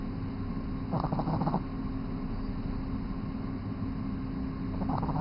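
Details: Snoring from Mega Man, a 3-month-old Boston Terrier fast asleep: a grainy half-second snore early on and another near the end, separated by quiet steady humming noise.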